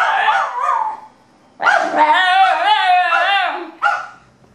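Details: Pet basenji and Miniature Australian Shepherd yodelling: a short wavering phrase, a pause, then a loud rich howl with rapid regular undulations and a final brief falling note.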